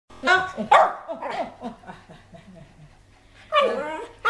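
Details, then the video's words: Dog greeting an owner back in Thailand after nearly two years away, giving wavering, talk-like whining howls with rising and falling pitch, bursts at the start and end and quieter murmurs between, with human voices nearby. "Sassy miss us ,Let's he talk น้องหมา-ชายสี่พูดได้"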